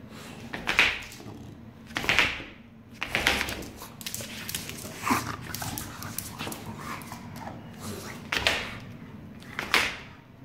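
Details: English Bulldog named Enzo, a pet indoors, hesitating to fetch his bowl and ball; short harsh whining bursts about every one to two seconds, with broad noisy energy, between an owner's coaxing words.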